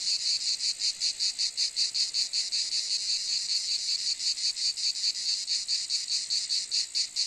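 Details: High, hissing cicada buzz with a pulsing, rattling rhythm, around two and a half beats a second, slightly uneven in strength.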